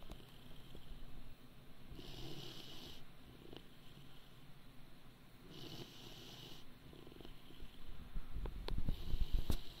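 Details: Great Dane puppy, 80 days old, snoring unusually; soft breathy hissing bursts come roughly every three and a half seconds over a steady low rumble, with a few faint clicks near the end.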